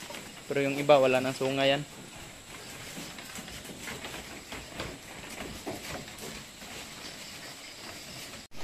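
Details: Goat at a farm in Palampas, San Carlos City, Negros Occidental, Philippines, calling one long wavering bleat of over a second with a brief catch near its end, then several seconds of low farm ambience.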